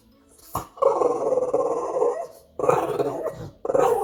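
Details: A pug makes low, throaty grumbling growls at night in three drawn-out bursts.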